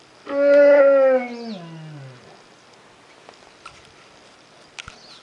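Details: An American black bear in a 2.5-acre forested enclosure gives a loud, moaning bawl that slides downward, begging for food at summer feeding time.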